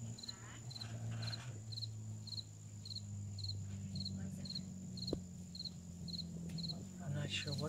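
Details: Bees gather pollen on a pretty flowering bush on a sunny Sunday, their low buzzing drone rich and layered, with a cricket's rapid high chirps repeating steadily about twice a second and faint voices near the end.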